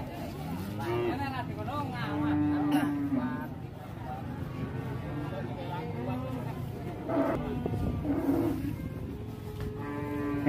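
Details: Cow that broke loose in a rage and entered a shop, now being handled with ropes. Several wavering moos over a noisy scene, with people talking, passing traffic and music.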